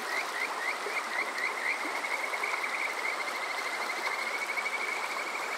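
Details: Kajika frog calling on a summer night at Water Park Shirayama in Yokoze, Chichibu District, Saitama, Japan, recorded with a TASCAM DR-05X: short rising whistled notes repeated in a steady run, over a constant rushing stream hiss.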